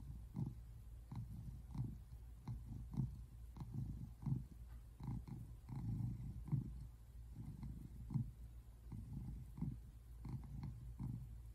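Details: Simon, a tabby American Shorthair cat, purring while relaxing on a couch on February 8, 2024; steady low rumbling pulses, roughly one or two per second, forming a continuous close purr.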